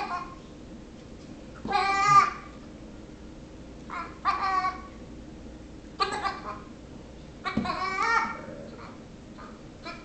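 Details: Baby Nigerian Dwarf goat, six weeks old, bothering a Yorkshire Terrier; four short, rough bleats come roughly every two seconds in a small indoor room, each wavering and nasal.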